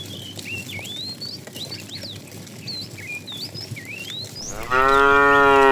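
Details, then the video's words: Tame cows herded toward green pasture in the morning, running happily. Rising and falling bird whistles fill the first seconds before a loud, steady, deep moo begins near the end and holds to the close. "Funny cow sounds"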